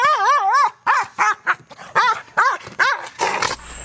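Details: Male guard dog in KNPV-style protection training, learning an aggressive bark at a box: a wavering, howl-like first bark, then loud yelping barks roughly every half second, with a man praising the dog.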